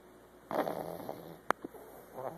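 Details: Memphis, a female pug nearly a year old who snores all the time, gives one rough, breathy snore lasting under a second, followed by a sharp click and a softer rasping breath against quiet room background.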